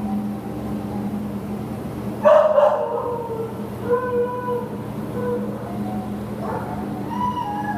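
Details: American Pit Bull Terrier up for adoption, recorded 15 September 2015: one sharp, loud bark, then a string of thin, high whining yips that rise and fall, over a steady low mechanical hum.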